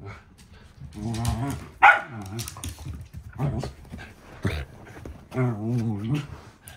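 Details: Two female Shetland Sheepdogs, a three-year-old blue merle and her bi-black younger sister welcomed two weeks earlier, play-fighting indoors; harmonic growling whines and yips in bursts around one to two seconds, with a person speaking softly between them.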